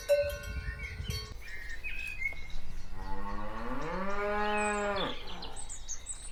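A cow lets out a single drawn-out moo, starting low, climbing slightly and holding a steady tone before cutting off. Muffled thuds come first, and faint bird chirps sound in the background.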